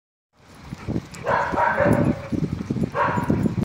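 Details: Golden retriever at a dog training setting in Cape Town, barking in a quick burst of several harsh, mid-pitched barks over about three seconds, with a human voice mixed in.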